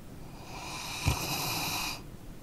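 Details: One drawn-out, airy snore from a dog asleep, lasting about a second and a half with a brief snort near its start, then fading to silence.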